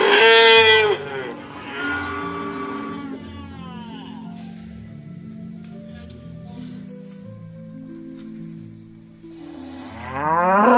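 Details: Dozens of cows walking home to their pen in the late afternoon: a loud, rising moo opens, softer lowing follows, and another moo swells at the end over steady background music.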